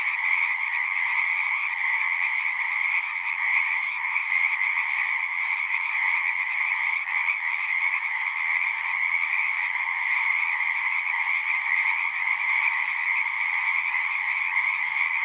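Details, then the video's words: Frogs sing together in a thick, constant chorus, a shimmering trill layered over a lower buzzing band that holds even and unbroken throughout. "One hour of singing frogs."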